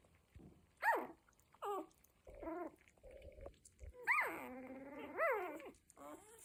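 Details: Cocker Spaniel puppies at one week old make a run of squeaky whines and yelps, some short and sharply falling, one longer wavering cry near the end, all high-pitched with bright overtones.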